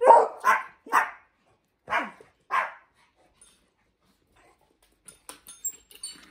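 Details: Dog barking indoors, either Hendo, a 10-month-old Pomeranian, or Salto the beagle, during bell-ringing training; five sharp, bursting barks in the first three seconds, then quiet with faint small clicks and taps.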